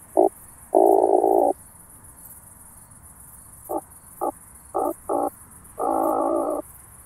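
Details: Oak bush-cricket, Starnberg, Germany, 18 July 2023, heard through a Pettersson D 100 ultrasound detector: a short tap, a long grating burst, then five quick taps and a final sustained rasp, with steady hiss behind.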